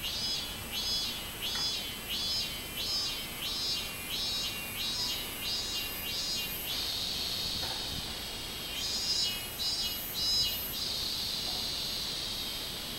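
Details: Song of a robust cicada, recorded 24 July 2016: a series of high, buzzy pulses at a regular beat that melt into a sustained shrill drone, then resume pulsing before droning again, with faint hiss underneath.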